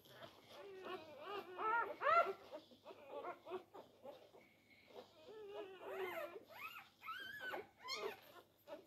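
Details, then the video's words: Newborn Labrador Retriever litter on day four, struggling for teats: dense overlapping squeaks and whimpers, then longer rising-falling squeals near the end, indoors with faint background hum. "Die Labrador Welpen am Tag 4. Kampf um die Zitzen."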